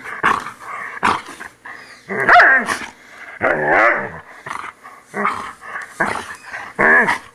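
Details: Poodle snarling while being groomed, about forty bursts a minute, with wavering growls mixed with sharp yaps in an irregular, continuous protest.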